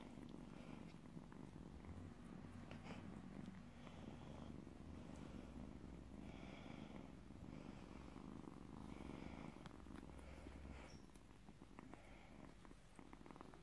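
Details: Recently trapped stray kitten gives a loud, low purr, a dense rumbling drone with fast regular pulsing that swells slightly and eases toward the end, light handling noises above it.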